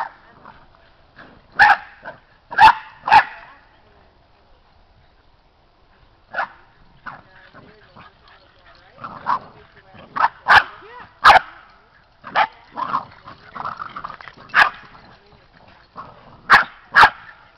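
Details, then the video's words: Seven Boston Terrier puppies wrestling, playing and running around a yard; sharp yips and short barks come in bursts, clustered near the start, mid-clip and toward the end, with soft rustling and faint voices between. "7 boston puppies wrestling"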